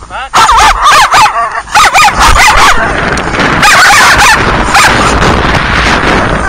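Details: Dogs on a cold walk, three and a half dogs: loud, wavering high whines and yips in quick pulses during the first two and a half seconds, then a noisy, wind-like rush with further faint whining.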